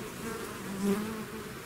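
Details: Bees swarming out of their hive make a continuous buzzing hum. A slightly louder, higher buzz swells briefly midway, likely one bee passing close.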